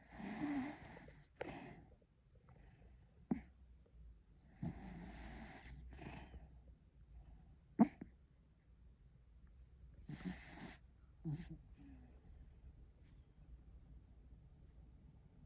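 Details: Dreaming pet dog asleep, giving irregular wheezy snores and short snorting puffs spaced a few seconds apart, one sharp click-like snort near the middle, between stretches of near silence indoors.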